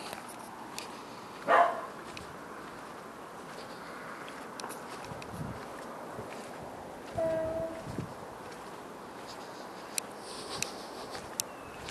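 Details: Dog barking outdoors at night around 10 o'clock: one short, sharp bark near the start and a second, longer and more drawn-out bark about six seconds later, both over a steady background hiss with a few faint clicks.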